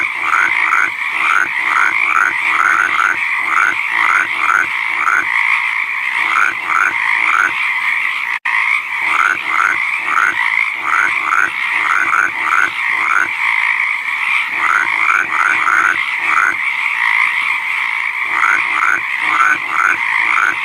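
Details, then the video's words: Frog chorus in the wild: many callers produce rhythmic, pulsing croaks over a constant humming backdrop, with the notes arriving in quick bursts throughout, briefly interrupted by a single cut midway. "Frog Croak Sound Effect"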